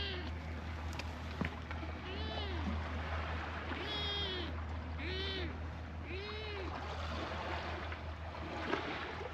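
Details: Stray cats at a fishing port, including a black kitten biting in play. Four arched meows, each about half a second long, come roughly every one to two seconds over constant low waterside rumble and a few soft taps.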